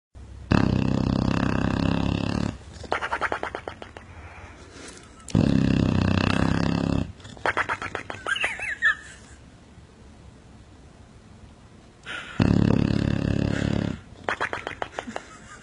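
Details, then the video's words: Sleeping dog snoring: long, loud rasping inhalations of about two seconds, each followed by a fluttering, rattling exhale. The cycle repeats roughly every six to seven seconds, with quiet pauses between. "Snoring dog"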